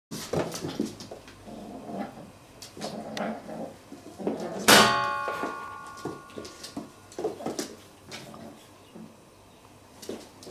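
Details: Real cats fighting: a run of harsh, low harmonic growls and short yowling bursts, broken midway by a sharp metallic clang that leaves a ringing tone, then more scattered snarls and scuffling.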